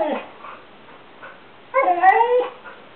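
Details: A female Siberian Husky gives a drawn-out, wavering 'talking' howl to get the attention of another dog napping nearby.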